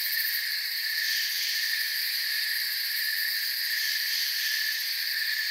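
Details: A continuous high-pitched forest cricket chorus, several trilling layers humming evenly at constant loudness throughout, with a soft shimmer of quick pulses above.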